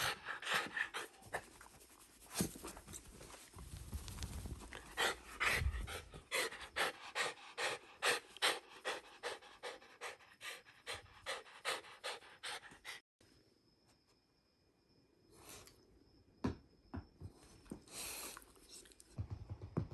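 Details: Shiba Inu named Ranmaru panting indoors during excited ball play with family, including a self-moving mechanical ball; quick rhythmic breaths about two to three per second for thirteen seconds, then a hushed pause and a few soft rustles.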